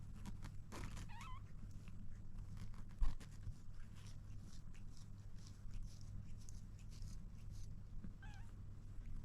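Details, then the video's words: Kitten trying to drink milk gives two brief, thin, wavering meows, one near the start and one near the end, over a steady low indoor hum with scattered clicks and taps in between. "Kitten trying to drink milk"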